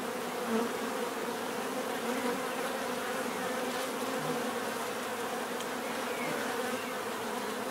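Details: Steady collective hum of bees, a thick unbroken drone with faint brief higher buzzes passing through, constant loudness throughout.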